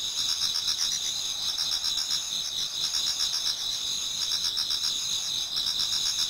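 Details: Many insects singing in autumn in a Japanese garden as dawn approaches, steady high-pitched buzzing trills and quick pulsed chirps repeating in clusters, a calm continuous night chorus.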